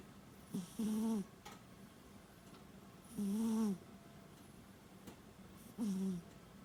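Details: Pet cat asleep, snoring or breathing heavily, possibly from small nostrils though healthy; three nasal, whistle-tinged breaths, each about half a second long and rising then dipping, at roughly two-and-a-half-second intervals, with faint bird chirps behind.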